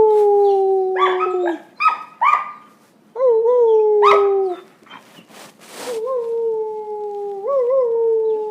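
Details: Young puppy brothers learning to howl, the older teaching the younger: sustained howls gently falling in pitch, separated by brief yips and a short pause, then a steady, wavering tone with a small upward lift.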